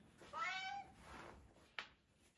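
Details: Bengal cat indoors repeatedly meowing to be let out; one clear drawn-out meow, then a fainter second cry and a brief click, against a quiet room.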